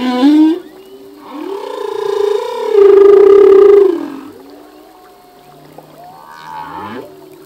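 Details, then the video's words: A singing male humpback whale delivers a long tonal moan that swells into a bright, sustained wail, then fades into softer whistles and a rising sweep, part of a song that changes yearly. "Whale song - full length humpback whale song"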